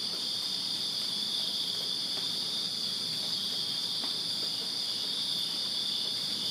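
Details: Backyard crickets in Virginia on a summer night, many insects blending into one unbroken high, even trilling drone, with scattered soft clicks and faint low rustle beneath.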